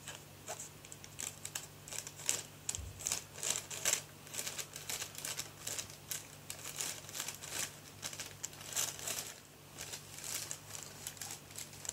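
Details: Plastic crinkling and rustling patter repeat in bursts throughout a small indoor room, with no animal voice heard.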